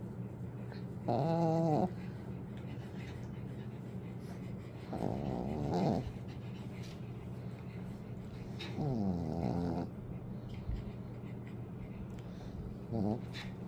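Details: Pekingese dog snoring, called the loudest snorer in its home, louder even than dad: three rasping, harmonic snores about a second long, coming roughly every four seconds, with a low steady hum in between.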